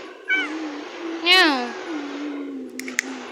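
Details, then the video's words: Cat giving a clear meow, a short call at first then a louder, strongly harmonic drawn-out meow that falls in pitch, against a steady low hum with a few clicks near the end. "Meow meow"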